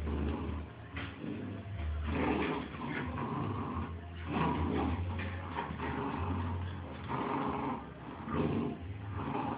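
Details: Two Bull Terrier puppies playing together: low, rumbling growls and snuffling scuffles come in uneven bursts over a steady low hum, with brief sharper knocks between the rough play sounds.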